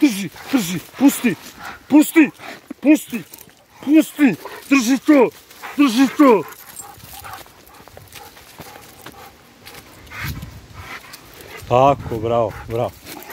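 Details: Rottweiler barking during attack training for self-defence: a fast run of short, harsh, harmonic barks, about two per second for six seconds, then a quieter stretch and a final brief burst of higher barks.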